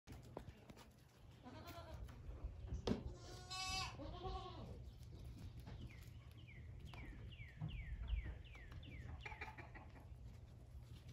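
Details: Young male Toy miniature goat kid playing with its father; one short, wavering harmonic bleat mid-clip, followed by a run of quick, repeated high chirping notes over a low background rumble.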